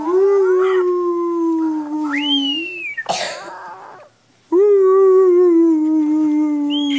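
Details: Puppy howling, a young dog learning to howl: two long, steady, mid-pitched howls that slide slightly downward, separated by a brief rustling burst and a short silence.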